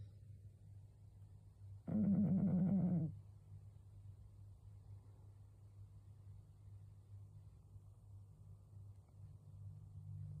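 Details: A sleeping 12-year-old cat named Karashi, who snores often and may have a cold, gives a single rasping, harmonic snore lasting just over a second amid quiet low room hum.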